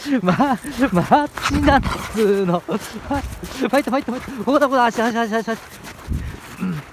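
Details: Husky rampaging in rough play with its owner, giving a run of loud, arching, howl-like yelps and moaning vocalizations that rise and fall in quick bursts, with laughter around it.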